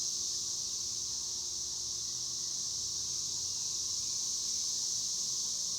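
Cicadas sing in a steady, high, buzzing drone that holds without pause.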